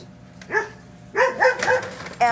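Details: Adult Poodle Ember, DeeOhGee's daughter, barks because she wants to join the 7-week-old puppies; one bark, then a quick cluster of three or four loud, tonal barks, with a brief human voice.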